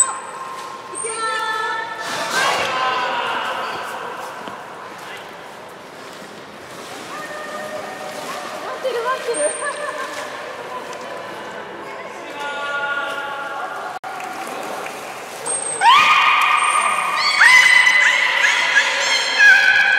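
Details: Belugas from the young group at Port of Nagoya Public Aquarium, 5 November 2017, playing while being moved between pools; scattered high whistles and squeals, then a loud burst of buzzy harmonic calls late on, with water sloshing.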